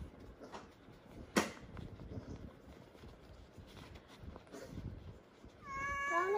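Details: A pet cat indoors in a home shared with many cats and a dog. Thumps and faint handling noises come first, then a rising, wavering meow starts at the very end, cut off mid-call.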